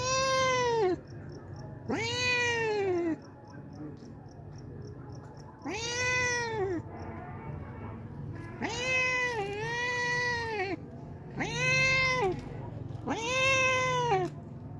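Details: Homeless cat, hungry and visiting every day for milk, gives a run of six drawn-out arched meows, roughly every two seconds, one doubled, over a constant low background drone.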